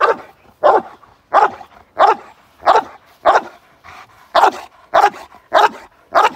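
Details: Barks from a male Cane Corso in k9 response training, a London, UK moped gang crime exercise. Eleven loud, sharp barks come in a fairly steady run, about one every half second, with a brief quieter gap midway.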